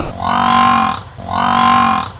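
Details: Wildebeest call: two identical drawn-out, nasal, moo-like bleats, each under a second long, with a rich buzzing tone, repeated after a short pause with no other sounds.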